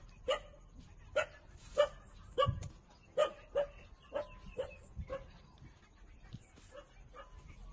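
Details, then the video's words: Suckling puppies aged 27 days feeding from their mother give a run of about ten high, clipped squeals, loud at first and then fading and thinning out toward the end. "Cute puppy 27-days-old sucking mother for milks"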